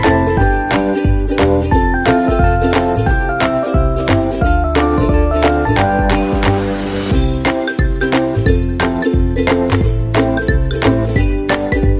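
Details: Upbeat music with jingling bells and a steady beat; no animal sound.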